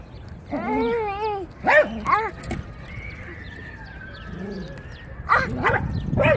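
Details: Dog barking: a few short harmonic barks and yelps, some with quavering pitch, separated by a quieter stretch with a faint steady tone, then more barks near the end.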